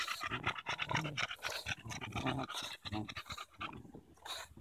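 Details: Rapid, rough panting from Daisy, a Bulldog wrestling a stick-like branch during a walk in Erindale Park in July 2014, with harsh breaths about every half second and a man's voice briefly in the background.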